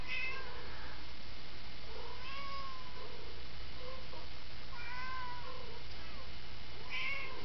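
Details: Domestic cat described as worried about friends in trouble, repeating drawn-out meows that bend up and down in pitch, some short and some longer, with brief gaps between them and a constant low rumbling hum underneath.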